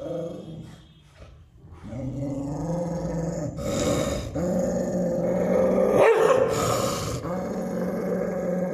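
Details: Aggressive American Pit Bull Terrier named Tiger growling; a quiet opening, then rough, rumbling growls in uneven bursts that grow louder, with a sharper snarl near the end.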